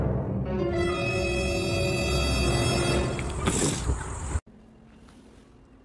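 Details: Dark, tense music plays with a rising noisy swell that cuts off abruptly into quiet room tone.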